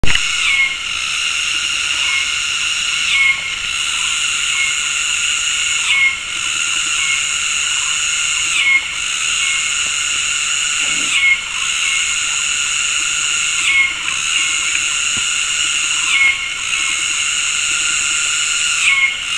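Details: Cicadas calling in synchrony in the afternoon tropical forest of Gunung Ledang Nature Reserve, West Malaysia: a dense, shrill, layered drone whose mating calls break and restart together roughly every two and a half seconds, with brief bird whistles.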